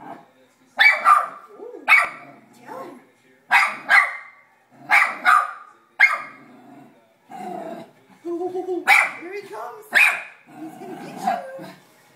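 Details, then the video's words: Sandi, a pet dog, barks at a running vacuum cleaner. Bursts of short, harsh barks come roughly every second, broken by an excited human voice in the middle and followed by more barks. "Sandi barking at vacuum"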